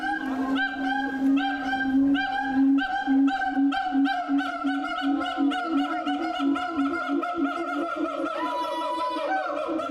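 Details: Siamang, captive at Tennoji Zoo in Osaka, Japan, recorded 2 May 2022: a loud run of hooting, harmonic notes on a steady pitch, repeated quickly and speeding up. A higher whooping note rises near the end.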